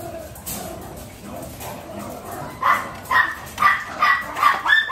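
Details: Miniature Pinscher puppies just learning to eat, in An Giang; after a quiet, rustling start, short high yelps come in a steady series about every half second, each a brief tonal squeak with harmonics, over a soft background hiss.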